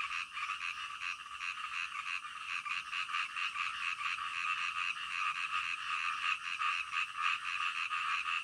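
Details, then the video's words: Night-time frog chorus in calm natural surroundings, many callers overlapping into a steady rasping wall of croaks with faint, irregular pulses throughout. "SUARA KODOK DITENGAH MALAM"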